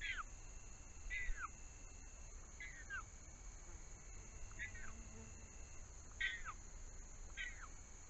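A bobcat kitten gives high, thin, falling mews, repeated every second or so, calling for its mother.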